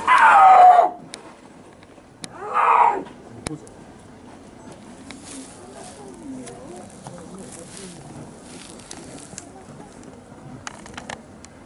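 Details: A male snow leopard (Panthera uncia), 1 year 7 months old, at a zoo on 25 November 2017, gives two loud, drawn-out yowling calls that slide downward in pitch.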